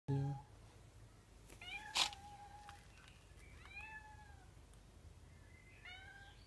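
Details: Female domestic cat described as talking; several short chirping meows with bent, rising-then-falling tones, spaced every second or two, after a loud opening knock and a sharp click, in a quiet indoor setting.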